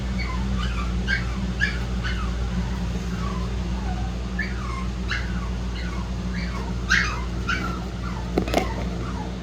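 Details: Several shih-poo puppies whimpering and yipping, quick falling squeaks scattered through the clip, a sharper yelp near the end, over a constant low hum.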